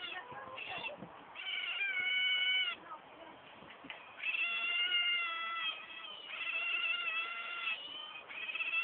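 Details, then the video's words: Group of otters making persistent shrill, harmonic squeals in long sustained bursts with brief pauses between, the pitch steady or gently falling, with light background noise. "Cute Otters Making A Funny Sound"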